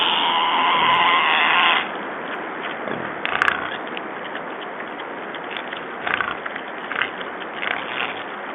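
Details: Wild boars, six in the group, give a loud, drawn-out harmonic squeal followed by fainter squeaks, recorded on 14 February 2012.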